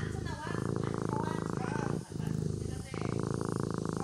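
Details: Purring from a sleeping kitten, a dense low throbbing hum with short breath breaks, and faint thin rising tones above it near the start.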